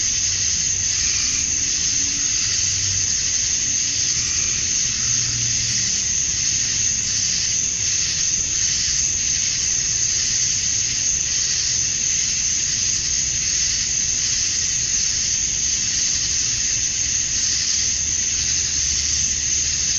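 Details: Georgia, USA, summer dusk: male cicadas sing to attract females in an unbroken, shrill, hissing drone. Faint low hums come and go underneath, and slight pulsing rises and falls across the chorus.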